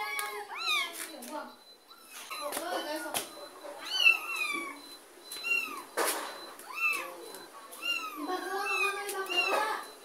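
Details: Mother cat and her kitten, given away by a neighbour, as the kitten is carried off and the mother follows; dense, overlapping high-pitched meows rise and fall in quick succession, some long and wavering, with voices mixed in.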